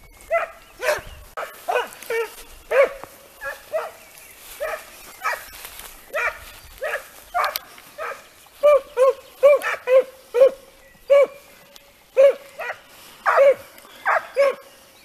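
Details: Segugio Italiano pack in training on hare, sustained chorus of barking bays, repeated quickly and overlapping, growing more rapid and closely spaced toward the end.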